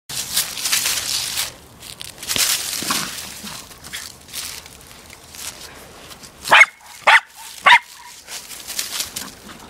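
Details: Female corgi playing with her soccer ball gives three sharp, short barks in quick succession, about half a second apart, amid scuffing and rustling noises of play.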